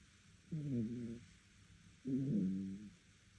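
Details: Sleeping dog snoring loudly enough to be heard by the neighbours: two drawn-out, tonal, groaning breaths about a second and a half apart, each wavering and slightly falling in pitch, with a quiet room between them.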